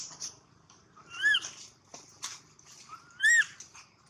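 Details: A baby monkey cries loudly in two bursts about two seconds apart, each a rising then falling whistled wail with bright overtones, with soft rustling in between.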